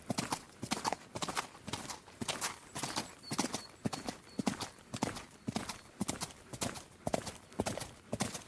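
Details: Horse galloping: sharp, broadband hoof strikes fall in quick clusters of two or three, repeating steadily about twice a second for the whole stretch, with no voices or other animals.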